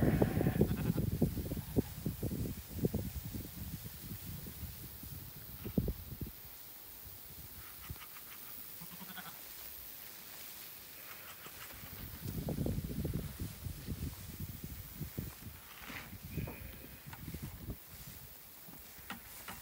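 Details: Sheep come through tall pasture grass on a windy day when a bucket is shaken, bleating in low, wavering bursts, several animals calling over one another.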